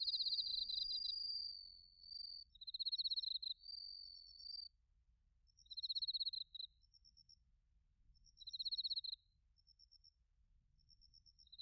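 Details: Several crickets in Narita, Chiba, Japan, during autumn, recorded with a TASCAM Portacapture X8: high pulsed trills of about a second recur every two to three seconds, with softer short tinkling notes and a sustained tone early on.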